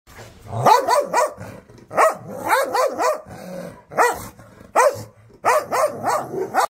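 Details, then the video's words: Angry Rottweiler barking in loud, harsh bursts, mostly two or three barks in quick succession with brief pauses between groups, steady and aggressive throughout. "Angry Rottweiler Dog sound"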